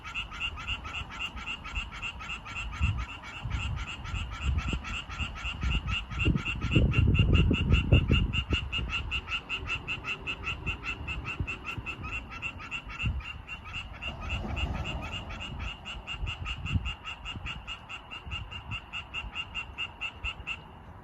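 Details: Calling male tree frogs seeking females; continuous quick series of sharp croaks, a little over two per second, with bursts of low rumbling noise in the first half.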